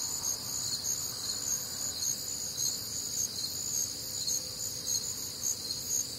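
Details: Warm, humid Midwestern summer night with crickets and other nocturnal insects: high, piercing pulsed chirps repeating rapidly in overlapping bands, a constant shimmering wall of sound.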